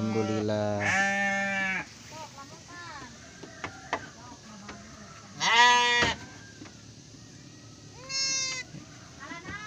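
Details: Garut sheep at a triplet birth: a long opening bleat, a sharp bleat midway, and a thin, rising bleat near the end, with quiet talking and small knocks between them.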